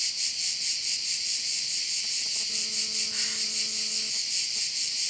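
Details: Steady shrill cricket chorus over a bay on Korčula, Croatia, throbbing evenly a little over twice per second, with a low mechanical-sounding hum for about a second and a half midway.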